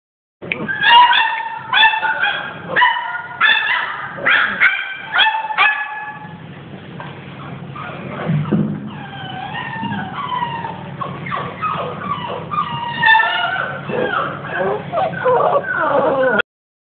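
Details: American Staffordshire Terriers, recorded 3-11-11: a rapid burst of sharp, harmonic barks for about six seconds, then a run of high, wavering whines and yelps over a low steady hum.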